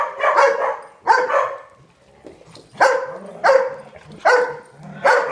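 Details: At the big side of a dog daycare, one loud dog barks in strong, evenly spaced bursts, about six barks, with fainter dogs underneath.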